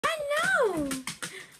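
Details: Gulluk, a husky, happy on waking up, gives one drawn-out, tuneful woo that rises slightly, then slides down over about a second, followed by a few short clicks and taps in a small indoor room.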